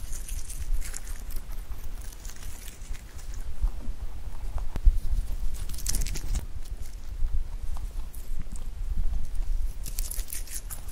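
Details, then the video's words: Pet rabbit eating clover, recorded close up: steady soft crunching and munching with dense low rumble, scattered crisp leafy crackles and rustles, a sharp tap near the middle. "Rabbit eating sound with Clover"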